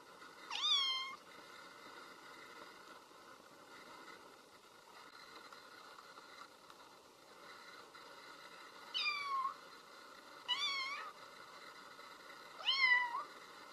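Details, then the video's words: A kitten, whose mother cat is not there, gives four high, thin meows, each rising then falling, spaced by quiet pauses. "Cute Baby Kitten meows because Mama Cat is not there"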